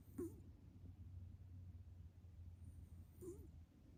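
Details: A pet cat sleeping in a person's futon, snoring oddly and looking slightly grumpy; two short, nasal, wavering snore sounds about three seconds apart over a low steady indoor hum.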